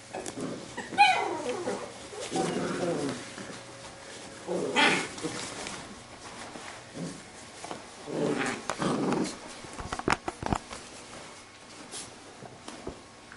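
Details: Playing Labrador retriever puppies of a B-litter: a high, strained yelp opens, then several drawn-out growling grumbles a few seconds apart, followed by a run of light tapping clicks.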